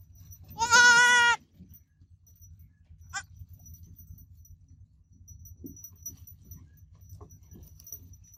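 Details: One loud, tremulous bleat from a baby goat kid at the start, strongly harmonic and quavering, then a brief faint second bleat, followed by low hum and soft scattered knocks.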